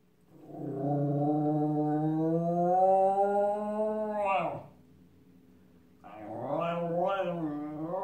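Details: Shotsy, a male Miniature Schnauzer, howls in imitation of sirens he hears: a long, steady, smooth howl lasting about four seconds that rises gently, breaks off, then after a short pause a second wavering, undulating howl begins.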